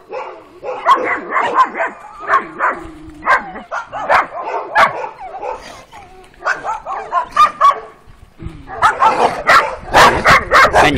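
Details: Two female working-type Kuvasz puppies, twelve weeks old, out on their first street walk on 28 April 2017. Clusters of high yips and whiny barks with a short pause midway, then a dense burst of yapping. A voice is faint behind them.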